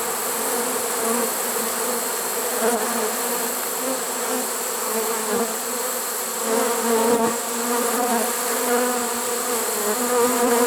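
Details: Swarm of honey bees caught in a trap on September 1, 2019, late in the season: a sustained deep buzzing chorus with clear harmonic bands, gently rising and falling in strength over about ten seconds.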